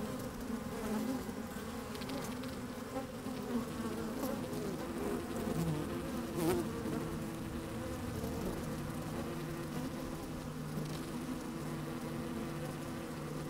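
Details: Inside an opened beehive on a sunny, slightly windy day, honey bees move about and buzz; a continuous droning hum with a few brief clicks and knocks near the microphone.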